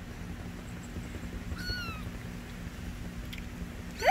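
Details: Persian kitten giving a short, thin meow that slides gently downward, then a brief sharp rising cry at the very end, over a steady low hum.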